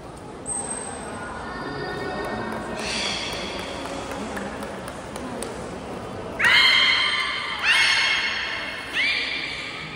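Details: Belugas in training at Port of Nagoya Public Aquarium, Japan, all animals taking part, 16 November 2024; a soft murmur gives way to three loud, rising, harmonic whinny-like squeals about one and a half seconds apart inside a large echoing hall.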